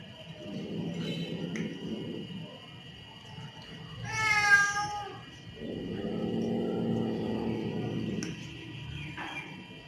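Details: Angry, aggressive cat: low rumbling growls, then a rising and falling harmonic wailing meow lasting about a second, followed by another long growl.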